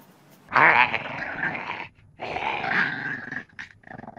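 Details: Cranky French Bulldog producing two loud, rough growling grumbles, each about one and a half seconds long and separated by a brief gap, followed by a softer rattling breath.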